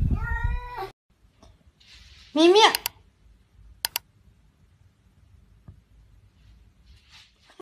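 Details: Domestic cat from a 'talking cats' compilation giving a short harmonic meow, then a louder rising-falling yowl after a pause, with sharp clicks and quiet room sound between.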